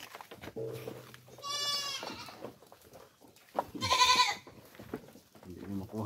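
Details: Goats eating coconut pulp bleat twice, a rising quavering cry and then a louder, harsher one, against a man's talk and background music.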